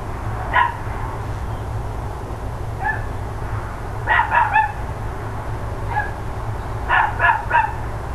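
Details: Neighbours' dogs barking on the morning of 13 October 2012, around ten o'clock: sharp single barks and quick doubled bursts at irregular intervals, with steady low hum throughout.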